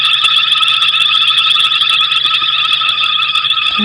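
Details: A dense, high-pitched, continuous chorus of frogs chattering steadily with rapid pulsing notes, at sunset in African bush early in the frog season.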